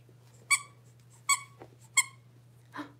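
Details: Six-week-old blenheim Cavalier King Charles Spaniel puppies, a litter of five in an indoor home puppy pen, give three sharp, high squeaky yelps spaced under a second apart, then a softer, rougher squeal, over a steady low electrical hum.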